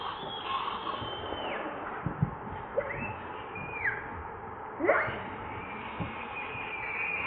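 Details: Hungry baby monkey Leo, also called Rainbow, crying to beg its mother for milk: high whistled cries that hold level and then drop, plus a sharp rising squeal, over a steady background hiss.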